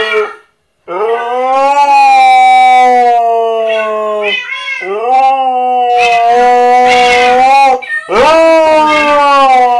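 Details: A husky howls at cats in a Minecraft game in long, wavering, tonal cries that swoop upward at the start of each breath.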